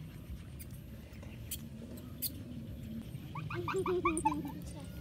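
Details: Puppy playing with a baby gives a quick burst of short, high, whimpering yips in the last seconds, about three or four per second, over a low steady rumble with faint voices and clicks earlier.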